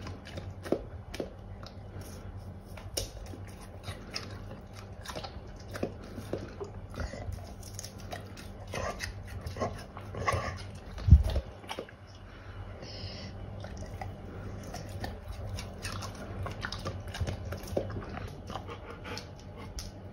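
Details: Golden Retriever eating pears indoors, chewing heard as a steady run of soft, wet crunching bites with sharp clicks, one louder crunch near the middle, over a low background hum.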